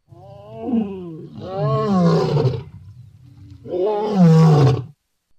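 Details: Lion, recorded July 2016: two long, deep, moaning roars, each swelling and then sliding downward, separated by a short low grunt, with the second roar the loudest.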